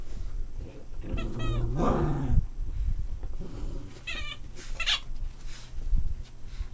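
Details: Playing Boston Terrier puppies: a low rough growl-like grumble, then sharp bright yelps in quick pairs, with bumping and shuffling throughout.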